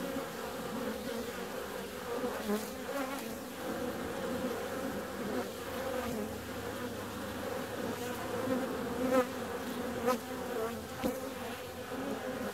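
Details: Bees flying out on a warm February day: a steady, many-voiced droning hum with a low and a higher layered tone, swelling slightly near the ninth second, with faint ticks and clicks scattered through.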